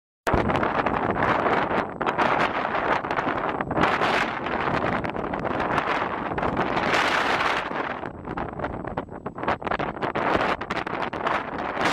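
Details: Loud wind buffeting the microphone and rustling noise fill the recording, with no clear animal call standing out.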